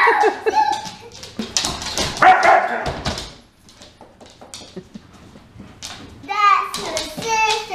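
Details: A female Dobermann gives harsh, throaty growls and clipped barks in bursts while play fighting with another Dobermann, a male who keeps provoking her, as people including a child talk and laugh.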